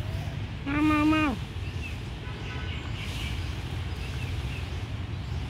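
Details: A single drawn-out meow, flat and then falling, from an abandoned kitten found in a pagoda. Faint low rumble underneath.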